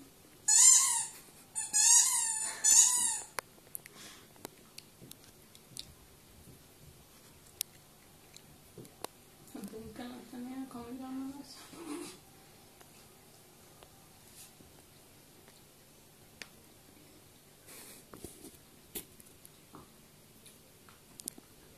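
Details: Nea, a Welsh Springer Spaniel, gives three high, squeaky whines in quick succession over the first few seconds, then a lower, rougher drawn-out sound near the middle; otherwise a quiet room with faint clicks and scattered small noises.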